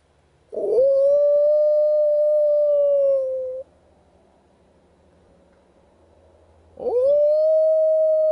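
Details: Wild dogs howling at a camp: two long, steady, level howls, the first lasting about three seconds after a rough rising start, a quiet pause, then a second howl swooping up to the same pitch.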